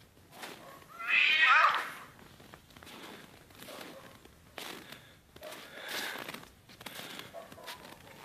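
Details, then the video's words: Domestic cats in a fierce fight: a harsh, noisy screech bursts out for under a second, then fades into scattered rustles and softer scuffling noises. "fierce fight of cats"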